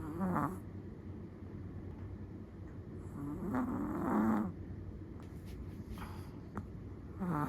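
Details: Quiet snoring from a sleeping Chihuahua: faint, breathy snorts at the start and middle, a longer rasping breath midway, over steady low background hum.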